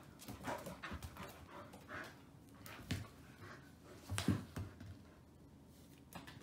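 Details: Male Old English Sheepdog puppy named Oudi, about 110 days old, born 22 January 2019, huffing in soft, breathy, noisy bursts at an uneven pace, with a few low thumps between breaths and quiet stretches toward the end.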